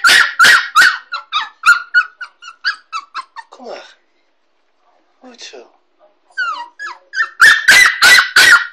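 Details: A 6.5-week-old Kooikerhondje puppy in her crate at home for the first time. Sharp barks in quick bursts open and close the clip, with a run of high squeaky yips and whimpers between them and a short quiet pause in the middle.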